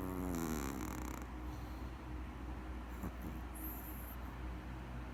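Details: A sleeping Maltese dog snoring: a nasal, harmonic whistling snore in the first second, then a low continuous rumbling breath over steady low hum, with a brief high hiss near the end.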